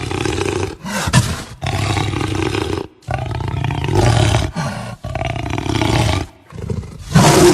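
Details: Jaguar growling and roaring: deep, rasping, low-pitched bursts of about one to one and a half seconds each, separated by short abrupt silences, with a harsh final burst near the end.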